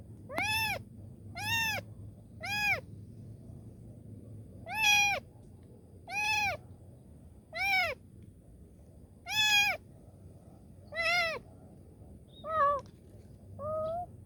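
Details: Kitten pleading for help in a steady run of about twelve high, bowed meows at roughly one-second intervals, loud and harmonic, the last few weaker and shorter, over a low hum.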